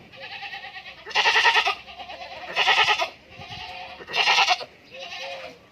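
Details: Goats bleating on a farm in Indore: three loud, rough, quavering bleats about every one and a half seconds, with fainter wavering bleats from other goats between them.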